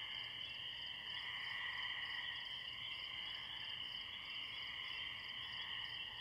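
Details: A distant chorus of spring peepers in a pond by a tree, high peeping calls blending into a steady shimmer, with crickets pulsing behind.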